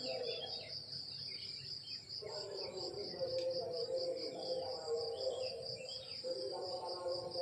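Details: Morning chorus of crickets in rural countryside, a continuous shrill pulsing trill held at one high pitch, while a deeper murmuring layer drops away near two seconds and returns stronger.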